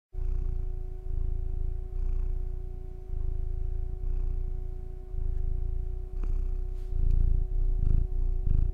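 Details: Domestic cat purring quite loudly, recorded close up; a steady low rumbling purr in long pulses, pausing briefly between breaths, with a faint steady hum and a few soft clicks near the end.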